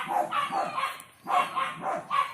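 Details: Four newborn black village dog pups, still nursing and only now opening their eyes: bright, rapid squeaks and yips in quick clusters, a short gap, then another burst of high squeals.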